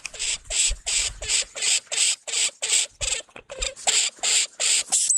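Lemming giving rapid, harsh high-pitched squeaks in a steady series, about three every second, with faint low thumps beneath.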